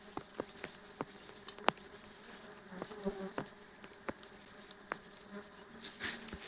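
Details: Faint humming of stingless bees while their honey is harvested, 24 June 2026, a soft low drone under frequent sharp knocks and clicks of tools on the nest.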